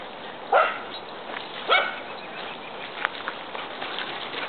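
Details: Big and little dogs at play, giving two short, sharp, rising yips about a second apart over a steady rushing background hiss.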